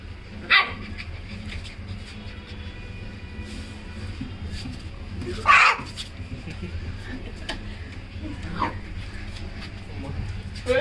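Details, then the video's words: Labrador Retriever puppy at play, giving two short, sharp barks about five seconds apart, one near the start and one midway, over a steady low hum and faint background noise. "Labrador Puppy Playing at cock"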